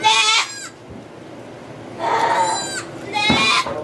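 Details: Goat bleating during the birth of two kids in a sugar shack at Chalet du Ruisseau, St-Benoît, Quebec, Canada, recorded on an iPod Touch 4G: three loud, harmonic, wavering bleats, each about half a second, with quiet gaps between.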